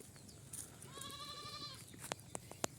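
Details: Goat on a farm, fed only fresh green plants, gives one quavering bleat of almost a second, level and tremulous throughout, followed by sharp clicking knocks.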